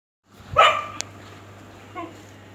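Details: Domestic dog barking at a cat: one loud, sharp bark, then a short quieter second bark about a second and a half later over a steady low hum.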